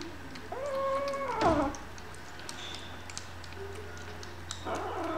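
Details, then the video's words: Meows from hungry kittens: a strong, harmonic meow held level, then falling sharply at the end, followed by quieter, shorter mews over a constant low hum. "Hungry Kittens"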